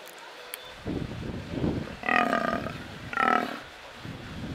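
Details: Captive brown fur seal (Arctocephalus pusillus) at Belgrade Zoo, Serbia, filmed in May 2022 on a Panasonic AG-CX350: rough, throaty grunting builds, then two loud hoarse bleating calls with a clear tonal ring, each about half a second, over steady background hum.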